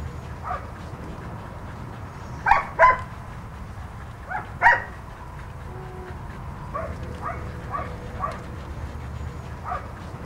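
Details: Ginger, a two-year-old red and white female husky with blue eyes at the Husky Haven of LA rescue, with volunteers. Two sharp, bright yelps in quick succession, another pair two seconds later, then softer whiny murmurs over a steady background hum.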